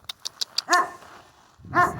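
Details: Central Asian Shepherd Dog puppies Mansur and Merbet, out in cold, windy weather, giving two loud harmonic crying yelps about a second apart, after a run of soft clicking taps.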